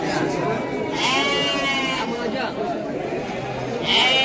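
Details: Bleating Garut sheep for sale at Pasar Andir market in Bayongbong, Garut: quavering bleats around the first two seconds and again near the end, set against steady male voices and crowd noise of the livestock market.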